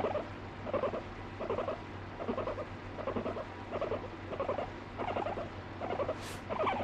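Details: Guinea pig kept as a pet, biting and complaining when no longer petted; soft repeated burbling bursts roughly every 0.7 seconds, quieter, with a brief hiss near the end and low hum.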